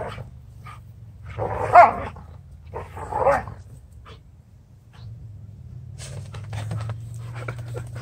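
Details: Two female Giant Schnauzers playing and goofing off in a front yard; two loud gruff barks or growls around two and three seconds, then scattered rustling and clicks over a low steady hum.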